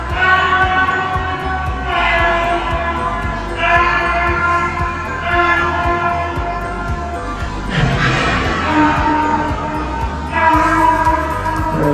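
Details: Steady electronic music with layered tones and bass beats plays throughout, with no animal voice.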